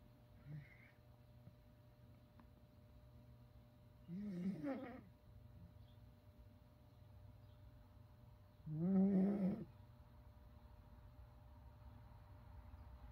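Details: A sleeping fox kept indoors in a bedroom snores in two raspy, rising-then-falling breaths, near four and nine seconds, separated by quiet, steady room hum.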